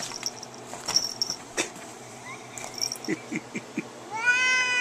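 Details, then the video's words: Domestic cat in attack mode during a fight; scattered clicks and thumps, then a loud harmonic yowl rising at the end, with a brief human laugh earlier. "Cat fight Cat attack"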